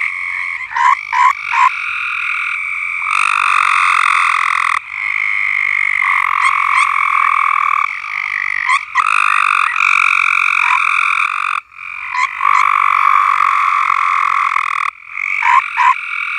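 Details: Frogs singing on a farm, long loud trilled bursts lasting a few seconds each, broken by brief pauses filled with quick clicking croaks, the chorus swelling and dropping repeatedly.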